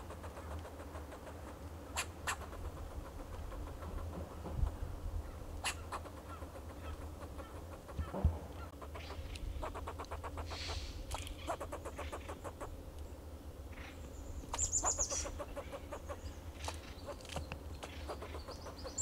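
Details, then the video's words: A fox squirrel in a coast live oak and a Monterey pine in Del Monte Forest, California, gives harsh, repeated chucking alarm calls over a low background hum. "Sound of Fox Squirrel"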